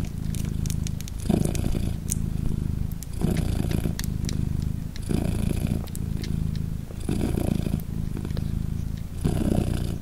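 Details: Polina, a British Shorthair mother of three newborn kittens three days old, purrs as she hugs them; a low pulsing drone with louder phases around every two seconds and scattered small clicking sounds.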